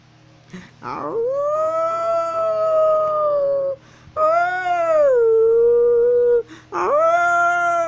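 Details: Wolf of North Eurasia howling as it walks: three sustained, tonal howls in a row, each sliding up at the onset. The middle one dips lower partway through, and there are short gaps between them.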